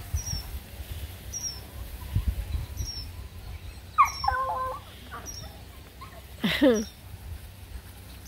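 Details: Redbone Coonhound puppies at play alongside a Bluetick Coonhound puppy let out two brief whining yelps, one rising, one falling, while a bird chirps regularly in the background.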